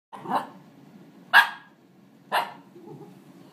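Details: Eight-month-old Shiba Inu, filmed 4.10.12, giving three short, sharp barks spaced about a second apart, each a bright harmonic burst, over a low steady background hum and a person's quiet voice.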